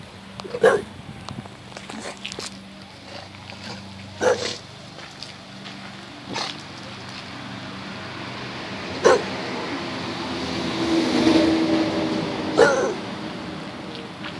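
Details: Bailey the Bulldog barks in loud, abrupt single barks every few seconds over a constant low hum, with a person asking what's wrong.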